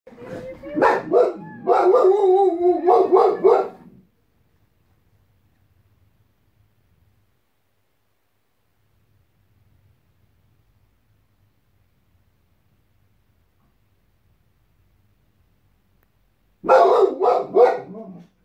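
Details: A white Boxer dog named Boss, showing guarding instinct, barks in two bursts: a rapid run of loud, rough barks with a growly undertone over the first four seconds, then silence, then another quick volley near the end.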